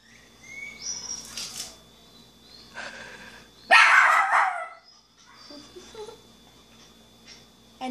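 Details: A 5-month-old female miniature schnauzer puppy indoors, seeing herself in a mirror for the first time. One loud, harsh bark bursts out near the middle, with quieter yelps and people talking and laughing around it.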